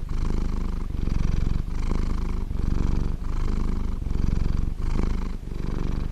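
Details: A large blue British Shorthair cat purrs steadily, a low rumbling hum that swells and dips with each breath.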